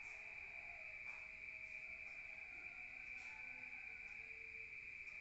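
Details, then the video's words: Night crickets in a rural area, heard from within a room: a sustained high, even-pitched trill, accompanied by soft scattered lower tones and a gentle low background rumble. "Rural Nature Sound of crickets at night"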